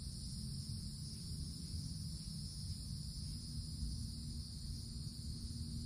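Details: Woodland cicadas on a summer day, treetop canopy overhead; an even, sustained high-pitched buzz in layered tones runs the whole stretch, over a dull low rumble.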